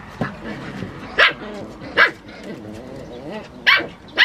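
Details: Sanin Shiba puppies play-fighting in a basement; short, sharp, high yips and barks come in bursts about a second apart, with softer low growling and grumbling between them.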